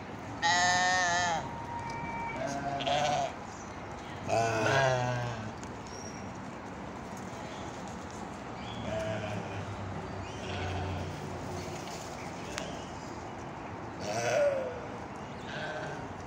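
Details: Goats chilling and playing together, heard bleating in wavering, nasal bursts, a loud one at the start, another near five seconds and a softer one late, with quiet rustling and shuffling in between.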